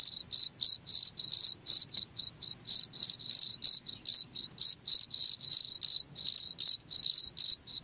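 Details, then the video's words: Cricket chirping steadily, short high ringing pulses about four per second, some merging into longer trills, pure tone with bright overtones and no other sounds. "SUARA JANGKRIK"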